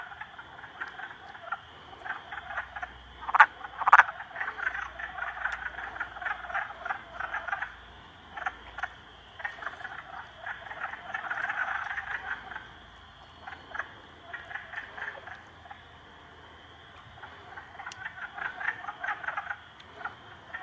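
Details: Frogs, three together against a salamander, keep up a long, rattling croak chorus. Two sharp, loud croaks come early, a droning buzz swells midway, and a quieter gap precedes renewed calling.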